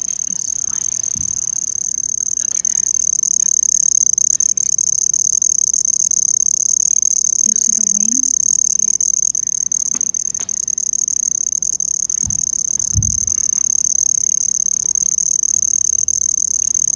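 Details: An insect with a cricket-like chirp, which the poster says is not a cricket, sings a steady, high, ringing trill that holds unbroken from start to finish.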